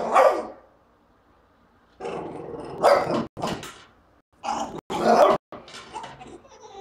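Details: A French Bulldog barks at a trash can in short, sharp, uneven bursts with brief pauses between them.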